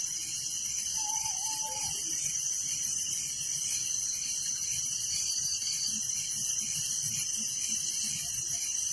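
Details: A village at night alive with crickets, their sharp high chirps merging into a steady throbbing chorus, with a brief flat whistle heard near the beginning.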